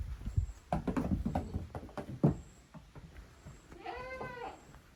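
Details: Goat kids from two family teams, Koharu's and Okayu's young, playing in the exercise yard of a handmade goat farm on 13 June 2023; hoof thuds and knocks, then one wavering, harmonic-rich bleat of just under a second.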